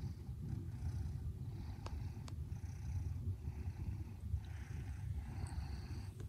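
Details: Fred, a 19-month-old red smoke Maine Coon, dozes in his favourite bed on a stormy afternoon indoors, purring very gently at low volume. The soft, low rumble runs steadily throughout, with faint breathy swells and a couple of tiny clicks.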